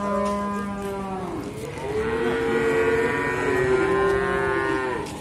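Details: Simmental calves on sale at Sukorejo animal market, Kendal, Indonesia. A low moo is followed by two longer, higher bellows that slide slightly downward, over background market murmur.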